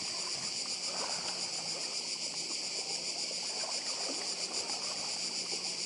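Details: Cicadas singing on Badija island, Croatia: an even, intense high buzz running the full length, with gentle sea wash and a faint low hum in the background.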